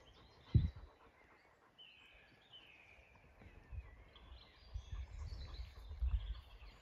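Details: LittleBit, an uncooperative Zwartbles sheep, grazing on a farm during recording of the farm's biodiversity sounds, the 'Soil's Song': one sharp low tearing bite, then a run of soft, muffled low crunches, with faint birdsong above.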